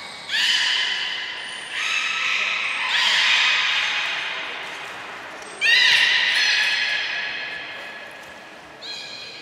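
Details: Beluga during a training session at Port of Nagoya Public Aquarium on 25 July 2021, a session cut short to save food for later. Four loud, bright harmonic calls, each held about a second or longer, echo in a large indoor hall.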